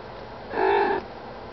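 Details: One steady, even-pitched call about half a second long, rich in harmonics, from Minnie, a mother cat nursing month-old kittens indoors, against a soft background hiss.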